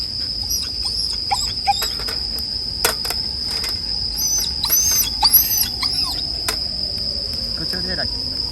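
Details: Bell cricket chorus blended with a crackling campfire: an unbroken high, bright ringing note, with scattered short arching chirps, sharp pops and a faint falling whine near the end.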